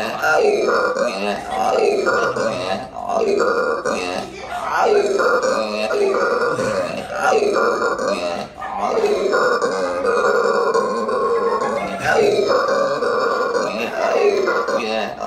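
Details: Howler monkey vocalising in Aruba: a long series of loud, throaty, belching roars, each swelling and dipping, repeated roughly every one and a half to two seconds over fifteen seconds with scarcely a pause.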